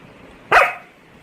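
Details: A pet Labrador Retriever in Arakkonam, India, giving one short sharp yip after waking, in a quiet room as its owner speaks to it in Tamil.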